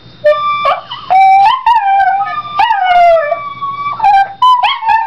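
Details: A Yorkshire terrier kept as a pet sings along with a recorder, giving a string of sliding, wavering howls that swoop up and down, with short yips between the longer drawn-out notes.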